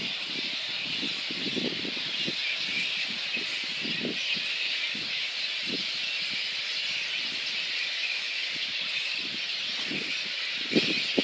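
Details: Little red flying foxes at their roost in Boonah, Queensland, Australia, 19 February 2014, before a council dispersal. A dense, unbroken wall of high squealing chatter, with soft low thumps and rustles scattered beneath.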